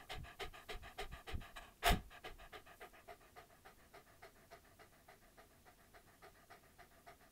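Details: Close-up chewing by a dog: quick, even crunchy clicks about three per second, with one sharp loud crack early on, then softer steady chomping throughout.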